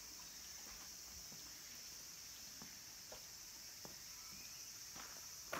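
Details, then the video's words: Late-summer cicada chorus among the trees of Kabusanji mountain temple in Takatsuki, Japan, home to minmin and tsukutsukuboshi cicadas: an unbroken shrill buzzing drone, with scattered light knocks and a louder rustle at the end. "Cicadas' voice"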